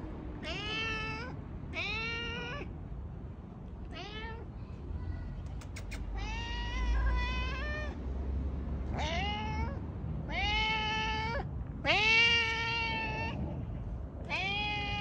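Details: Domestic cat meowing loudly: a series of about nine harmonic meows, each rising then holding or falling, spaced one to two seconds apart, over a low steady background rumble.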